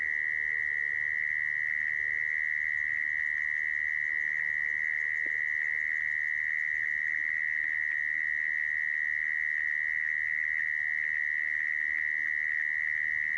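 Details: Steady mole cricket trill meant to attract mole crickets to traps, droning on at a fixed pitch for over thirteen seconds, with a faint click midway.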